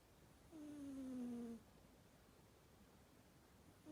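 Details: Sleeping cat giving a single whistling snore, a thin falling tone lasting about a second, followed by quiet and the start of the next breath.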